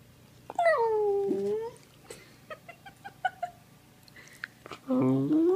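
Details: Playful male Sheprador puppy (Australian Shepherd-Blue Heeler/Lab cross) indoors: a long, falling, wavering whine-howl, then soft clicks and small yips, and a fresh rising howl starting at the end.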